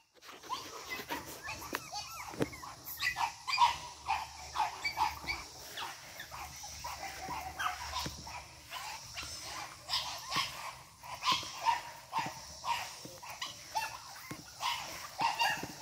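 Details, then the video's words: Boston Terrier puppies, an 8-week-old litter from Charm, energetic at play; faint high whines and yips scattered through, mixed with clatter and handling noise. "Energetic Boston Terriers. Charm's 8 wk old litter."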